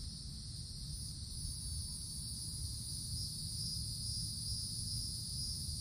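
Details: Cicadas calling in summer woods, heard under the forest canopy: a steady, unbroken high buzzing drone in two bands, with a low rumble of background noise throughout.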